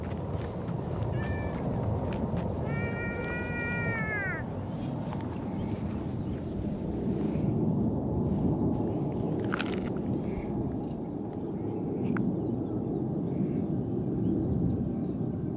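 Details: Stray orange-and-white cat in a park, met again after a long time and rolling over to show its belly. It gives a short meow, then a longer, drawn-out, slightly falling meow, over a steady low outdoor rumble.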